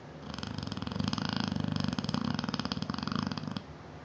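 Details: Sleeping Neapolitan Mastiff, a seven-year-old female whose snoring carries through the whole house, giving a loud buzzing, fluttering breath of about three and a half seconds that cuts off sharply.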